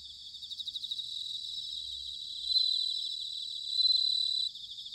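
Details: Autumn night song of bell crickets recorded in Sanuki, Chiba, Japan: rhythmic high pulsed trills build into two louder, sustained bell-like rings, each lasting over half a second, against a dense insect chorus and faint low hum.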